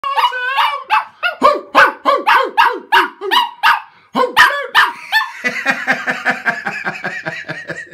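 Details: Chihuahua barking in rapid, sharp yaps, roughly three a second, with downward-sweeping tones, then a run of higher, quicker yips in the last seconds.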